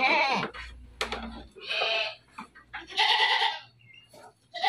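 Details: Dairy goats on a farm in Bogor bleat repeatedly, loud nasal wavering cries following each other closely, several animals calling over brief pauses and faint background noise.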